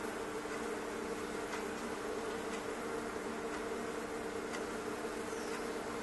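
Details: Thousands of bees inside a fireplace stove make a constant humming buzz that holds level from start to finish, with a few soft clicks on top.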